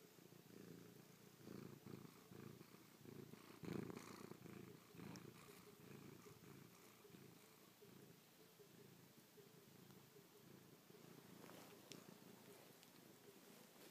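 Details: Pet cat Chloe, pressed in close and kissing and pawing a face after sleeping on someone's back overnight, gives a rhythmic throbbing purr that swells louder around the fourth second, indoors.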